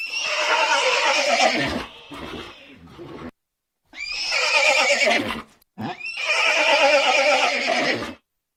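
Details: Horse neighing: three long, loud whinnies with quavering, rippling tone, each about two seconds, the first trailing into lower breathy sounds, separated by short silences.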